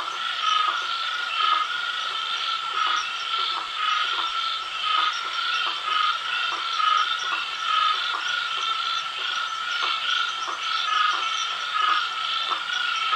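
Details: Rainforest frogs of southeastern Brazil give sharp, clicking notes about once a second over a steady chorus.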